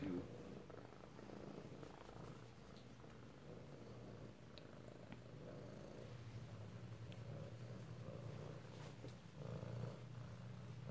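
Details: Kittens in Alabama recorded close-up indoors on 7 February 2018, purring in a steady, low, continuous rumble that holds even throughout, with faint room noise and no voices.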